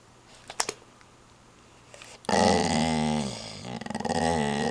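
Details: Redbull, a pet dog, growls indoors. A few soft clicks come first, then a sudden low, rumbling growl begins halfway through and continues to the end, wavering in strength.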